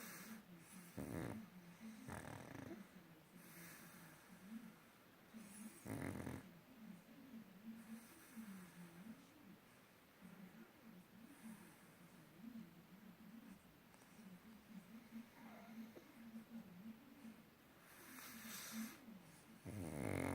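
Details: Sleeping pug snoring: steady rhythmic low rasping breaths with a wavering buzzy tone, punctuated by several louder broadband snorts near the start, middle and end.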